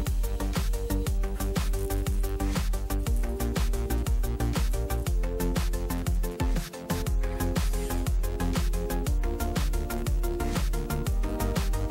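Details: Loud electronic dance music with a thumping beat about once a second fills the whole stretch, and no animal sounds come through.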